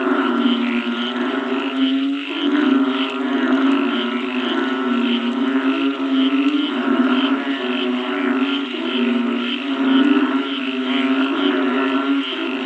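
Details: After rain, a mass of frogs keeps up a thick droning chorus, deep nasal croaks overlapping continuously with a pulsing, reedy texture and slight rises and falls in loudness throughout.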